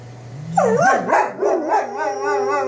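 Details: Two German Shepherds howl together at weekly tornado test sirens, giving long, wavering, overlapping tones over the low, steady siren hum.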